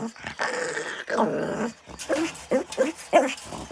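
A Shih Tzu gives drawn-out whining howls, then short rising yips, as people coax it to sing.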